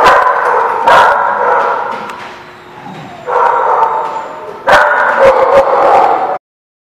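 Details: Dogs recorded November 21, 2016, giving loud bursts of harsh overlapping barks, a quieter lull in the middle, then renewed barking before the sound cuts off abruptly near the end.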